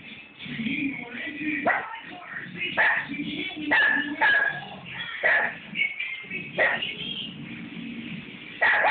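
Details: Rex the dog barking at a roller paint brush, a steady series of short barks close together, with a person's voice mixed in.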